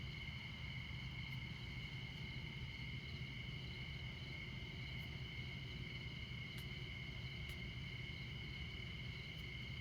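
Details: Nighttime crickets in Montana near America's most northern interstate, I-94, at midnight: unbroken shrill trilling in layered tones, over a deep, constant traffic rumble with scattered faint clicks.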